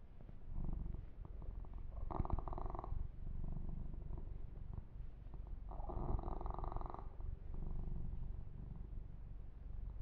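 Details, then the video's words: Yumak, a young male cat, purrs contentedly as he is massaged; a low, even rumble is broken by two short rubbing sounds about four seconds apart. "Ear to Ear Purring"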